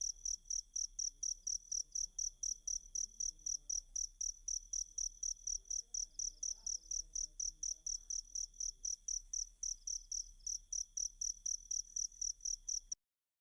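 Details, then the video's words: Cricket chirps played as a masteran training track for Kacer (Oriental magpie-robin) songbirds: bright, high, shrill pulses repeating about twice per second in a steady train, with a faint low murmur underneath. "Ajari Kacer Mu Dengan Tonjolan Suara Jangkrik"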